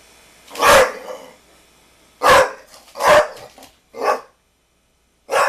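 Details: Pit Bull barking at a basketball, giving five loud, harsh barks in uneven bursts over several seconds, with short silent gaps between them.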